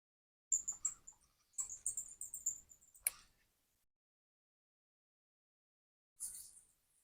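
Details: Countless bats in a cave roost thick with droppings give high, thin squeaks and twittering chirps in short bursts.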